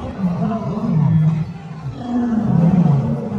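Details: Lions roaring at Taigan lion park in Belogorsk, Crimea, where about 50 lions live freely; deep, rough roars with rising and falling low tones, two long bouts around a brief dip, with a man talking over them.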